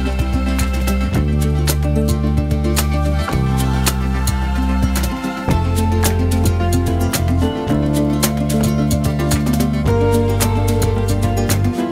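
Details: Rhythmic plucked-string music with a steady bass line and percussive strums fills the whole passage, with no animal voice audible.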